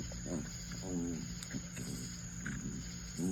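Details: Dog making a loud noise while scratching his back, a series of brief wavering moans, the clearest near the start and at the very end, with a constant low hum behind.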